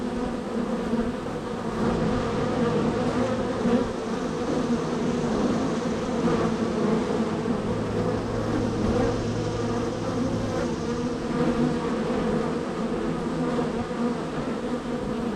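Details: Honey bee hive number 3, extremely active, foragers entering and leaving: continuous layered buzzing with a low hum underneath for part of the stretch, loudness holding steady throughout.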